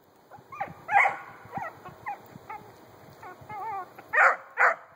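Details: A 4-month-old female Treeing Cur trees a grey squirrel den on her first squirrel tree, giving scattered short barks and yips with some wavering whine-like notes, growing louder at the end.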